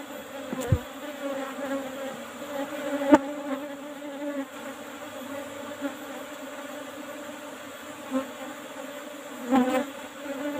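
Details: Asian honey bees (Apis cerana) buzzing during a honey harvest from an old-style hive box covered with a used asbestos lid. A steady, low hum with overtones continues throughout, broken by a few sharp knocks and clicks.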